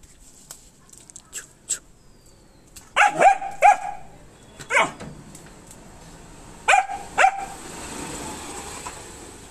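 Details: Female German Shepherd barking while meeting other animals: sharp, harmonic barks at irregular intervals, some in quick doubles, with quiet gaps and a faint steady high hiss in the background.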